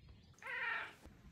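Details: Chatty Maine Coon cat talking with its owner indoors: one bright, strained meow lasting about half a second, rich in high harmonics, steady then fading, with quiet background.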